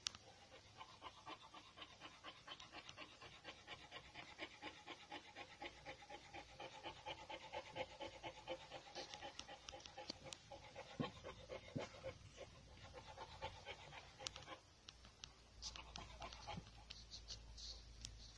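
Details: Panting from male brindle Boxer puppies with champion pedigree: soft, rapid breathy pulses repeated several times a second for most of the recording, fading near the end, then a few scattered knocks.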